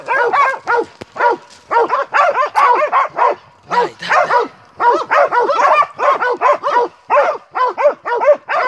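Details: Baying of Montenegrin Mountain Hounds from the Sutorman kennel during a hunt: loud, melodious barks in quick clusters separated by short gaps, with a few deeper low notes mixed in.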